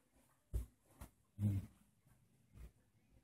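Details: Bearded Collie, one of two dogs, heard on a morning in August 2014: several short, low, gruff bursts, the loudest and longest deep one in the middle, with softer ones around it in a quiet room.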